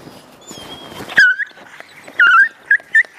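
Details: Dogs Sobol, an eager stud male, and Taina, a female who rebuffs him while visiting relatives in snowy surroundings: a series of high, tonal whimpers, one long and wavering, then two shorter ones, over quiet background rustle.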